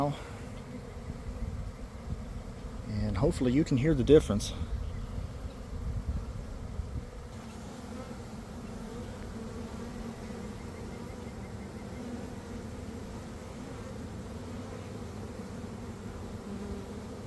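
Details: Honey bee swarm developing from a garden hive around one in the afternoon, after a week of cold, damp weather: a steady, low, droning hum fills the air throughout, with a brief burst of human speech early on.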